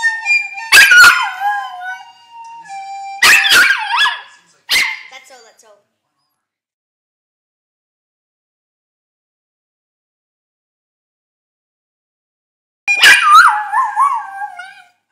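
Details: Dog singing: drawn-out, warbling howled notes that slide up and down, in three bursts over the first six seconds, then silence, then another wavering howl near the end.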